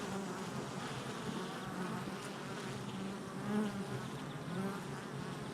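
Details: Honey bees at a hive entrance, recorded July 22nd, 2024: dense, steady buzzing hum with a low droning core and layered wingbeat tones. One passing bee swells briefly louder past the midpoint.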